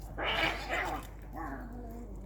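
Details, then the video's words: Domestic cat in a fight: a loud harmonic yowl that wavers and falls, followed by a quieter, lower drawn-out moan that drops in pitch. "Cat Fight"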